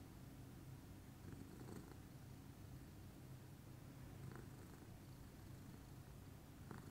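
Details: Pudding, a lilac Scottish Fold cat, purring calmly in the morning indoors: a steady, low, continuous rumbling purr with even rhythm throughout, a few faint soft clicks and rustles in the background.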